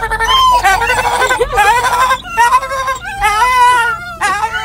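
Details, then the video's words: Several Dachshunds in a car on the way to the vet howl together in long, wavering, tonal cries that rise and fall between brief breaks. "Dachshund Singing"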